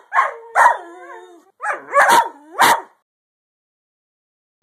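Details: Greyhound dog giving four or five short, harmonic yowling howls in quick succession over three seconds, several sliding downward at the end, followed by silence and a brief final sound.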